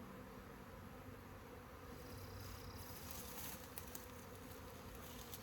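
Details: Swarming honey bees give a continuous low buzzing hum that swells slightly toward the end, with a few faint clicks and rustles on top.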